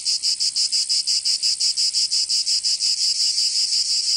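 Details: Summer song of cicadas in Provence, in the south of France: a sharp, high buzz in quick, clear pulses of about four per second that blur into a steady drone near the end.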